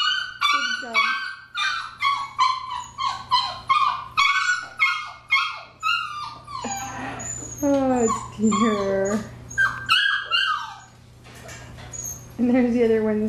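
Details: Litter of nine six-week-old Labrador Retriever puppies at home, crying in a steady series of short whining yelps about every half second, then longer wavering, sliding whines from several pups at once, with a brief quieter pause.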